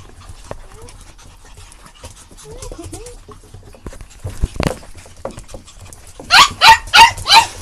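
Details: Puppies giving faint squeaky whines early on, then a run of four loud, high, harmonic yelping whimpers about half a second apart near the end, with soft rustling in between.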